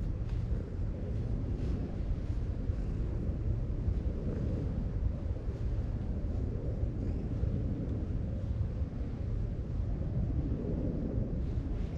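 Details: Steady low rumbling of wind or engine noise, with no animal voice standing out. The sound stays even throughout, with no calls or cries above it.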